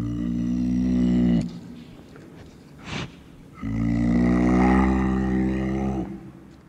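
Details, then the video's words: Clouded leopard calling: two long, deep, rough moaning roars, the first about one and a half seconds, the second about two and a half seconds, separated by a short pause with a brief sharp noise. "Panthère nébuleuse"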